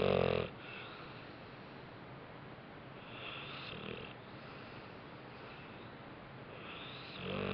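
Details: Napping dog Bentley, worn out after a rough day, lets out a short, harsh snore at the start, a softer wheezy breath mid-way, and another snore building as it ends.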